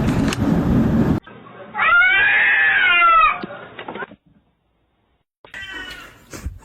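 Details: A cat gives one long, loud, harmonic meow that rises and then falls over about a second and a half. It follows a burst of broadband noise, and a short, fainter call comes near the end.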